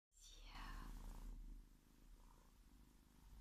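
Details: Domestic pet cat from a household with kittens born in February 2017, purring as a low, steady rumble of rapid pulses, opened by a brief descending sweep of a higher sound.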